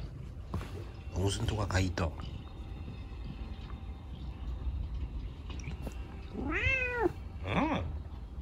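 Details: Chico, a rescued kitten left lame in an accident, being scratched by dad at bedtime; human voices early, then two drawn-out arching meows, rising and falling, close together near the end.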